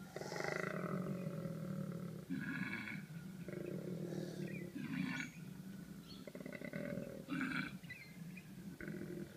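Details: A male koala gives a deep, rasping bellow, a snoring-and-belching rumble made as a mating call during mating season. A female nearby makes screeching calls.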